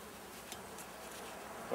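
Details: Swarm of honey bees being inspected and treated with powdered sugar against varroa; a soft, even hum of bees fills the clip, swelling slightly louder in the final moment with a brief brighter buzz.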